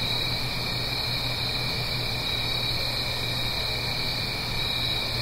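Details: Night chorus of crickets in autumn, Blue Ridge Mountains, near a gentle stream: an even, sustained high-pitched chirring that never breaks, layered over the soft broadband rush of flowing water.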